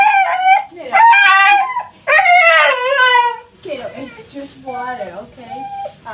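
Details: Husky's bath-time tantrum: loud, wavering howls that slide downward, about one per second, then quieter whimpering cries, with a man talking softly throughout.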